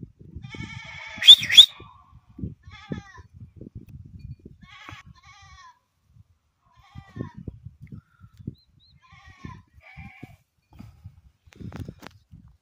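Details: Beetal goat kid offered for sale in Satara district, Maharashtra, India, giving a series of nasal, wavering bleats spaced a few seconds apart, the first loudest and longest, with low thumps and shuffling handling noise between calls.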